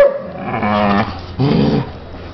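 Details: Mastiff mix playing with a foster dog indoors: two drawn-out, harmonic groaning vocalizations, the first near one second long, the second shorter after a brief pause, low and moan-like.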